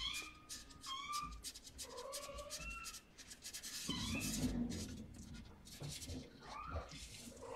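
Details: Rescued mother cat and her tiny kitten cuddling indoors: a run of thin, high mews rising then falling, several in quick succession, over constant rustling and shuffling noise.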